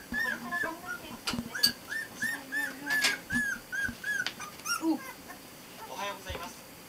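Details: Border Collie puppies 22 days old, a litter of four born 23 November 2012, giving a run of short high whimpers and squeaks, some rising and falling, repeated several times a second with brief gaps, with soft rustling and faint speech.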